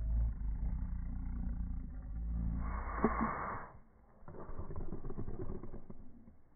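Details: Boston Terriers tussling over a ball, a steady low growl rolling on for a couple of seconds, then a breathy rush of noise, a short lull, and renewed grumbling.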